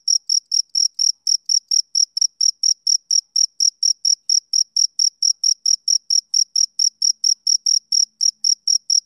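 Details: Summer-evening chirping of a male cricket, a continuous run of short, shrill, metallic pulses repeating roughly four times a second in an even rhythm over a silent background.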